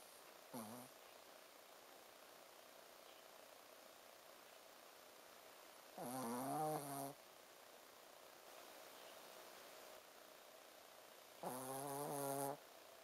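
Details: Shih Tzu dog Ponzu, fast asleep and snoring with a 'buu, buu' sound: three nasal, buzzy snores with a low rasping hum, roughly five seconds apart, in a quiet indoor room.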